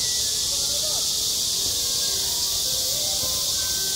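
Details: Summer cicadas buzzing at a school playground, an intense, even high hiss with no pauses, with faint low voices and brief tones in the background.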